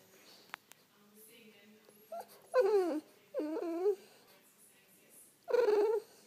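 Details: French Bulldog whining to wake its owner indoors: three vocal, wavering whines with harmonics, each under a second, separated by pauses, the last one flat and sustained; faint background hum.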